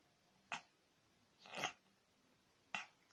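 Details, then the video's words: Cat sneezing repeatedly indoors: three sharp, broadband bursts about a second apart, the middle one longer and noisier, with a quiet room behind. "Cat can't stop sneezing funny"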